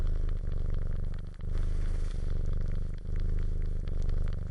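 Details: Suckling cat purring, recorded as a sound effect; continuous low droning rumble with gentle periodic dips and fine crackly, rustling texture throughout.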